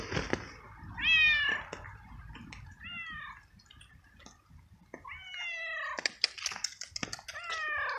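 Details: Frightened, cold stray male cat soaked by rain in the street, meowing loudly: four or five descending, slurred meows of varying length, with clicks and rustling noise around them.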